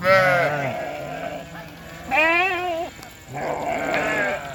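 A sheep gives three drawn-out bleats with a shaky, tremulous quality, the middle one rising and then sagging in pitch. The calls come roughly every two seconds with brief quiet gaps between them.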